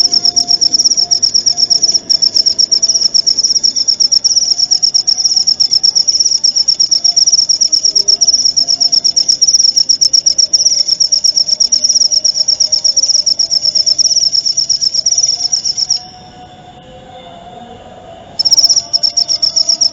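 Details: Clear cricket chirping used to teach white-rumped shamas (murai batu) new material, played nightly and during dewfall. A high, fast-pulsed continuous trill stops for about two seconds near the end, then resumes. Soft low hum underneath.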